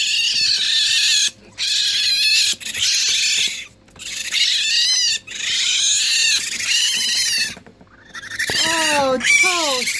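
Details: Two hungry baby raccoons in a licensed wildlife rehabilitator's care, waiting to be cleaned before bottle feeding: harsh, broadband churring bursts with brief gaps, ending in several quick, descending whistled chirps.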